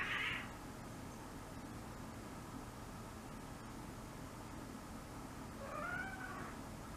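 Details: Five-month-old female kitten in heat calling at night indoors before her spaying: two drawn-out wavering meows, one at the start and one near the end, over steady background hiss.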